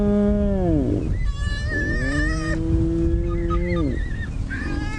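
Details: Spotted hyenas greet each other at a den at sunrise on 20 October 2017, in the Sabi Sand near Kruger, as a mother returns and a youngster runs out. They trade drawn-out, whiny squeals: a falling wail, then a long moan with high squeaks over a low rumble.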